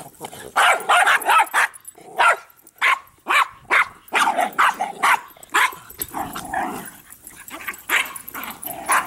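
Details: Three dogs, Bix, Banjo and Button, roughhousing over a Jolly Ball, barking rapidly and unevenly, over two a second at times, with a drawn-out growly whine midway and more barks after.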